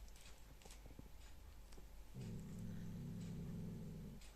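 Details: Cat growling as it eats: soft chewing clicks at first, then a continuous low, buzzy, harmonic growl lasting about two seconds, steady in pitch and loudness, fading at the end.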